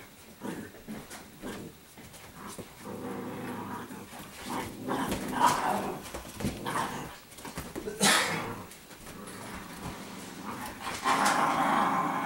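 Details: Italian Greyhounds, a group of females, playing together indoors as normal everyday behavior; bursts of snarly growls and huffs rise and fall across the clip, with scuffling and thumps of play in between.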